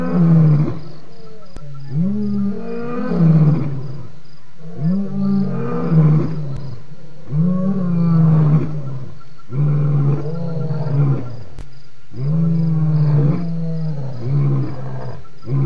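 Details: ['Lion at Djuma waterhole on 28 October 2016 giving loud roars: steady sequence of deep, throaty grunts roughly every one to two seconds, each bending upward then down.']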